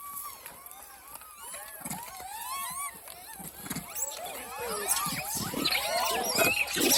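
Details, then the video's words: Monkeys call out while hungry: dense overlapping arched squeals and coos grow busier and louder toward the end, over a low rumble of passing traffic. "Hungry 🤤 monkey"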